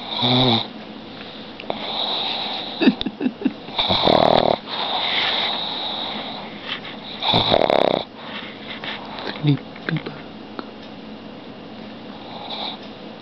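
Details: Pet pug Omar snoring loudly while asleep indoors; ragged wheezing snores come in uneven bursts with short snorts between them, and a woman's soft voice talks over parts of it.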